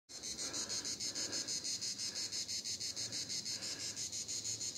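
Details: Cicadas in Vidauban, France, in 2024 keep up a harsh, high buzzing, pulsed about three times a second.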